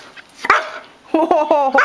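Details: A pet German Shorthaired Pointer, bored indoors on a rainy day, cries with short whining tones while wagging his tail, wanting to go for a walk or run; a sharp yelp, then a run of wavering whines, the last one rising.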